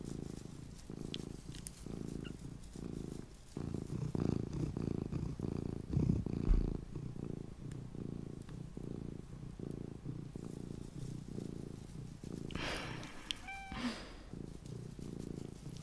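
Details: Low continuous purr from a small pet cat indoors, rhythmic rumbling pulses with each breath throughout, a brief higher tonal sound and light handling noises near the end.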